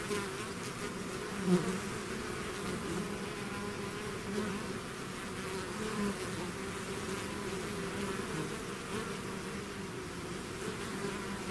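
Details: Swarm of bees out of the hive producing an unbroken layered buzz, low and steady, with individual wingbeat tones drifting slightly in pitch over nearly twelve seconds.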